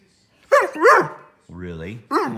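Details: Nico, an older male Pudelpointer, frustrated because he wants to go outside, gives two short wavering whine-like yowls that rise and fall, followed by a man's low spoken voice and another brief yowl.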